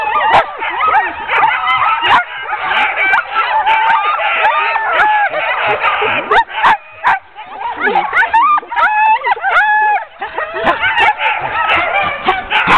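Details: A ten-dog sled team being hooked up for a training run on 16 October 2010: a dense, continuous chorus of high whining yelps and short barks from many dogs, with sharp clicks and knocks throughout.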